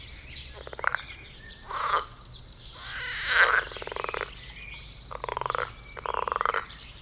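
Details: Frogs in a garden pond during mating, jumping about and croaking loudly; buzzy, rattling croaks of around half a second to a second, roughly six bursts in quick, uneven succession.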